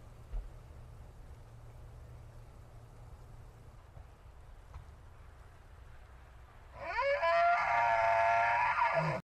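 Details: A bull elk in a forest bellows: a loud call that sweeps upward and holds a high, harmonic tone after a long quiet stretch.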